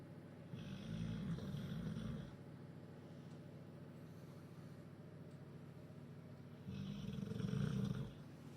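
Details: Duke the bulldog in Huddersfield, asleep after a chicken curry and a pint at the pub, gives two long, deep rasping snores about five seconds apart, each a low rumbling drone over a steady quiet background hum.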